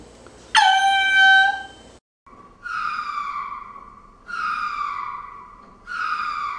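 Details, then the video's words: Lemur vocalising: one loud, high, bright cry, a short silence, then three drawn-out wails that start strong and fall in pitch, spaced roughly every one and a half seconds. "10 Hours of Lemur Sounds"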